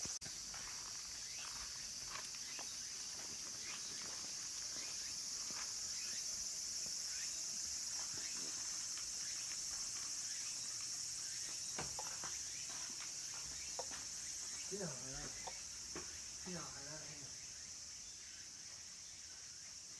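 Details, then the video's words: Minmin cicadas and tsukutsukuboshi cicadas singing near summer's end around a mountain temple, Kabusanji, in Takatsuki, Japan: a steady, high, shimmering drone, with scattered footsteps and light clicks, and a few short low warbling sounds late on. "Cicadas' voice"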